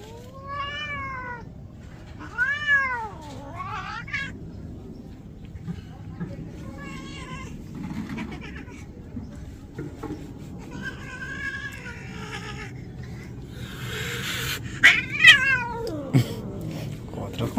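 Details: Domestic cat, angry at being bathed, gives a series of loud arched meows early on, each rising then falling, followed by softer wavering cries and a final sharp yowl, with a woman talking and splashing sounds around it.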